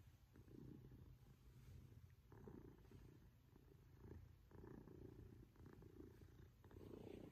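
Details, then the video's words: Male Maine Coon cat purring loudly while cuddling affectionately with his family indoors, a steady low rumbling purr in alternating inhale and exhale pulses of roughly two seconds each, no other sounds. "Best Maine Coon Cuddle Ever"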